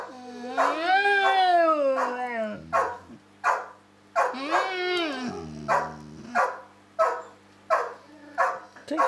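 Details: A dog called Samson in a long talk with Josie: two sustained, wobbling howl-like moans that rise and sink into low growly rumbles, then a string of short clipped yips, with a woman speaking softly.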